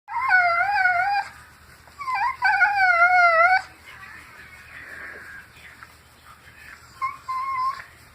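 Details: Pet dog being scratched makes a weird noise: wavering, high whining howls with strong harmonics, two long undulating bursts then a shorter one after a quiet gap.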